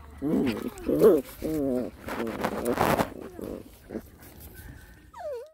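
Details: Rottweiler puppies play fighting: a quick run of short, harmonic yelping growls, about five in two seconds, then rougher noisy snarls and thin fading whimpers. A brief rising-and-falling whistle-like tone closes the clip.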